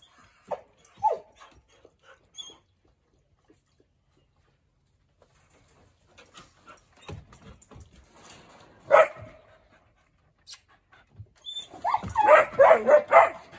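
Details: Eeyore, a massive 85-pound, six-month-old Treeing Walker Coonhound puppy, settling into a new home and fond of talking. Quiet room with scattered soft noises, a few short yelps early on, then a loud burst of rapid, harsh barks near the end.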